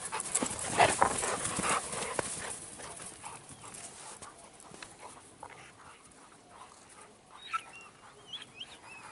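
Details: Doberman and Rottweiler at play together in the K-9 dog hotel: rough, heavy panting and scuffling bursts, loudest in the first two seconds, then softer breathing with scattered scratchy noises and a few faint high squeaks near the end.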